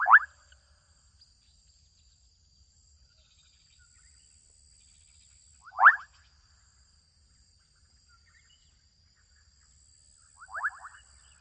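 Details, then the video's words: Adolescent frogs calling in a Kenyan wetland: three short bursts of bright, pulsed, rising croaks near the start, middle and end, separated by quiet gaps, over a steady high-pitched insect drone throughout. "Adolescent frogs calling out in Kenyan wetland"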